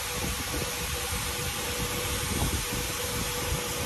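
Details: A loud, steady blower-like roar fills the recording with a constant humming tone underneath, and no animal voice stands out.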